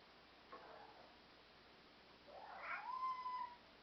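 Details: A black European Shorthair cat indoors gives a faint short sound, then a drawn-out meow that swells and falls away over about a second.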